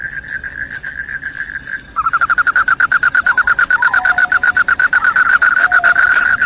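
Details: Shrill cricket song, described as loud, rat-repelling and sleep-inducing: slower separate chirps give way after two seconds to a fast, continuous pulsed trill. A high piercing band sits above, with faint lower whistled slides.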